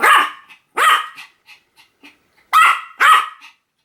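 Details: Pomeranian giving sharp, high-pitched barks: two loud yaps, a pause with faint softer sounds, then two more loud yaps close together.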